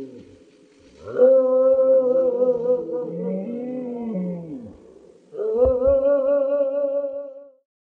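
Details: Wolves howling together, several overlapping voices: a steady harmonic howl joined by a lower wavering one that rises and falls, then a pause and a fresh howl sliding upward and holding.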